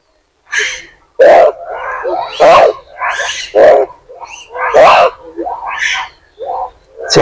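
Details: Monkey; angry calls; expressing anger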